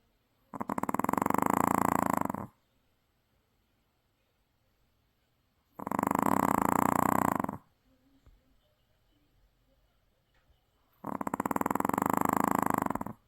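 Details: A Maltese dog, deeply asleep and exhausted after a trip to the sea, snores loudly: long rasping, buzzy snores of about two seconds each, separated by quiet pauses of roughly three seconds.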